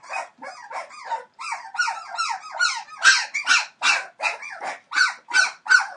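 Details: Entlebucher Mountain Dog puppies aged 21 days, litter born 28 December 2013, produce overlapping wavering whimpers, softer at first and then sharper, louder yelping squeals repeated roughly every half second.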